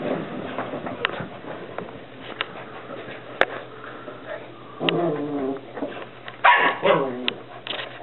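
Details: Whippet puppies at play indoors give scattered short yelps and soft whimpers, with a louder burst of yappy cries near the end; people talk in the room throughout and there are sharp clicks.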